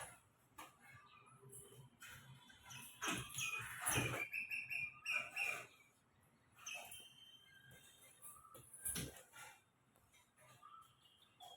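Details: Squirrel calling from a tree with a cat below, giving rapid, high, sharp chirps in quick bursts, loudest near the middle, with rustling and faint voices in the background.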